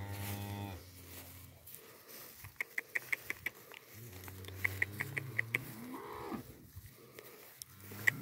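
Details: Holstein and Jerhol heifers, twelve months and older, offered for sale in San Pedro de los Milagros and San Roque, Antioquia. A deep droning moo opens, another long low moo follows midway, and sharp clicking taps run throughout.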